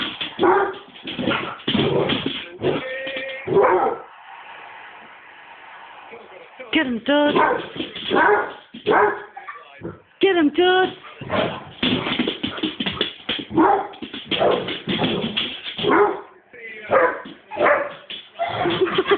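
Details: A Basset Hound running around in high heels gives deep, bursting barks and whimpering yips, with the clatter of his heels and people talking and laughing.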